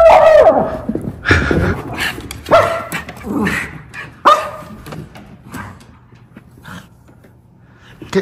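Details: Miniature Schnauzers, brothers, playing indoors by the stairs at home on Christmas morning, 25 December 2023, in Aroostook County, Maine; several sharp, scattered barks with whimpering, spaced about a second or more apart, while a man talks to the dogs.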